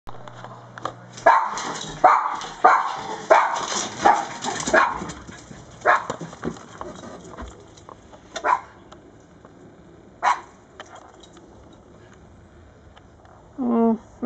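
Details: Several dogs racing out the door after a rabbit that has already vanished, barking in a quick run of sharp, excited barks over the first five seconds, then scattered single barks and a person speaking toward the end.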